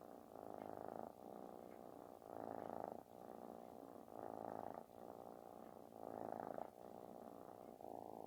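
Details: Kitten purring loudly like snoring while seeking affection; a continuous rumbling purr swelling and easing in roughly one-second breaths, louder on alternate phases, steady throughout.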